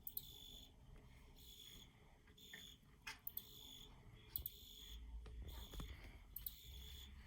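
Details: Field cricket chirping: faint, high, pulsed trills in bursts of under a second, repeating with short gaps, over a low rumbling background with occasional clicks.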